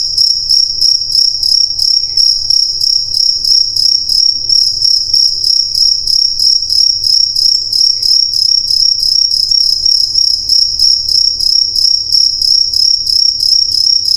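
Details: Steady high-pitched chirping of crickets at night, rapid pulses about three per second without pause, with a faint low rumble underneath.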